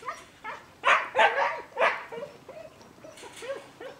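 A German Shepherd puppy gives a few sharp, breathy yips, then a string of thin, wavering whines.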